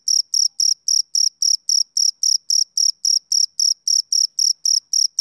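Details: Shrill, pulsing chirps from a male cricket on a summer evening, close and loud, repeating nearly four times a second with quiet gaps between them.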